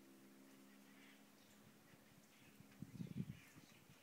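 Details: Howler monkeys at San Juan del Sur: faint, steady low droning tones give way to a louder burst of rough, guttural roaring near the end, with distant bird chirps above.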